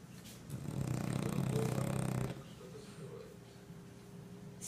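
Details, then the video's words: Sleeping French bulldog gives one deep, rattling snore lasting about a second and a half, followed by quiet breathing sounds and faint room noise. "Snoring french bulldog (храпящий французик)"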